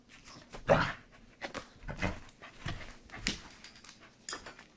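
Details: A Corgi playing with a squeaky chicken toy it was once afraid of and now loves; a series of short, rough, breathy bursts and huffs, loudest near the start, spaced unevenly about every half second to second.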